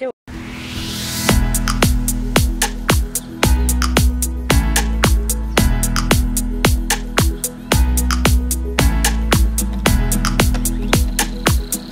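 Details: Upbeat electronic dance music with a steady thumping beat and sharp percussive hits, with faint speech underneath.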